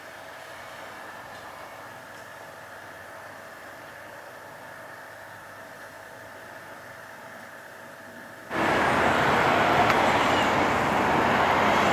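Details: A steady low hum with faint tonal lines gives way after eight seconds to a loud, broad roar like a passing train, with no animal voice heard.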